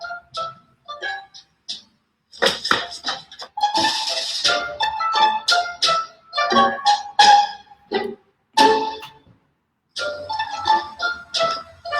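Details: Plucked-string music with bright, glassy tones in short bursts and brief silences, with no animal sound.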